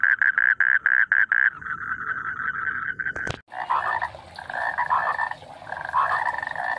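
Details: Frogs in rice fields call in a chorus of rapid, pulsed croaks and buzzy trills.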